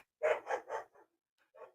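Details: Pet dog indoors, said to be missing its absent owner and heard in the background. Three quick, clear barks in a row, then two softer, shorter yaps after brief pauses.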